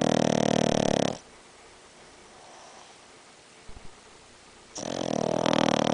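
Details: Rex, a Boston Terrier, snoring very loud: a long, harsh, rasping snore fills the first second, then a quiet pause of about three and a half seconds, then another loud, grating snore breath begins.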